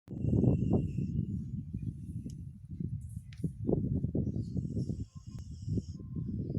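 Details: Sleeping dog snoring: loud, low, rough rumbling that rises and falls in uneven pulses, with faint high hiss in the background.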